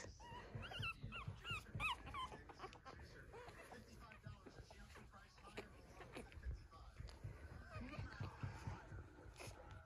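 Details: Two-week-old puppies of one litter, being raised as emotional support and service dogs, crawl around after their mother stands up from nursing. High, squeaky whimpers with rising-falling squeals come early, then softer shuffling, and a woman speaks gently throughout.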